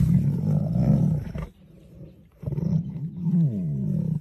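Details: Lion giving a deep, rough, low-pitched roar for about one and a half seconds, then a brief silence and a second throaty roar whose pitch wavers up and down before fading out.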